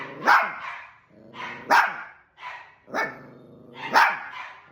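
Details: Fighting pet dog giving a rapid run of five loud, rasping barks roughly once per second, with growly undertones between them.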